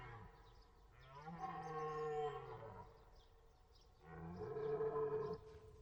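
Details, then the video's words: Deer roaring: two long, harmonic, moaning bellows of about two seconds each, the second following a short pause, with a steady low tone beneath a stack of brighter overtones. "Deer sounds / Deer noises / Deer sound effect / Hirsch geräusche"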